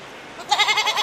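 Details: A goat (Capra hircus) gives a short, quavering bleat that wavers rapidly in pitch.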